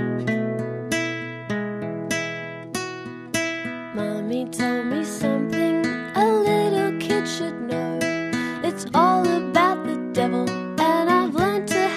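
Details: Acoustic guitar music with plucked and strummed notes and some singing plays throughout, with no animal voice audible.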